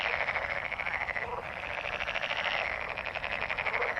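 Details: Mating frogs in full chorus: rapid, buzzy pulsed croaking layered from numerous callers, unbroken and loud from start to finish.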